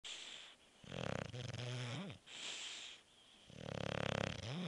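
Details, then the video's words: Beef, a bulldog, snores while sleeping. Loud rasping inhalations alternate with quieter exhaled breaths roughly every one and a half seconds, each roar ending in a short whistling snort. "Bulldog Beef snoring"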